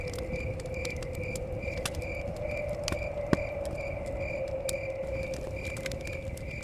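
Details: Crickets chirping outside a forest cabin: short high pulses repeat in a steady, even rhythm over a low continuous hum. Sharp fire crackles and pops and a soft rush of wind run underneath.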